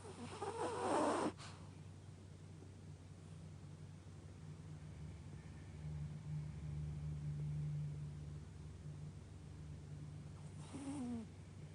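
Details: A dog sleeping comfortably snores with a low, steady, rumbling drone that swells slightly in the middle. Short bursts of noise come at the start and near the end.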